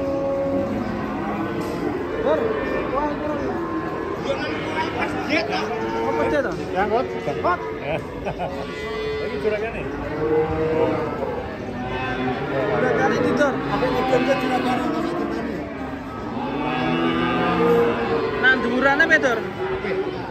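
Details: Fat cattle (sapi lemu): several overlapping drawn-out, mid-pitched moos follow one another over twenty seconds, mixed with people talking and a busy background murmur.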